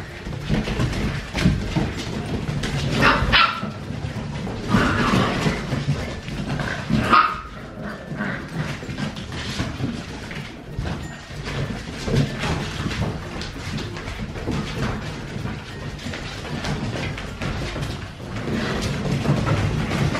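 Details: Siberian Husky father named Dash playing with his nine six-week-old puppies for the first time; scattered short barks and yips, sharper calls near three and seven seconds, over steady scuffling and rustling noise.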